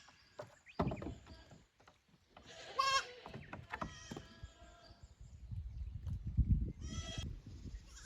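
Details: Goat kids on a visit from the lower to the upper pasture at a small Japanese goat farm, 15 May 2024; one brief wavering bleat early on and a fainter one later, over low rumbling handling noise.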